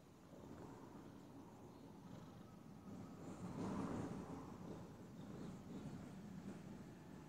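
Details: Domestic cat purring indoors, a steady low rumbling throb with soft rhythmic pulses that swell slightly in the middle, over a faint hiss.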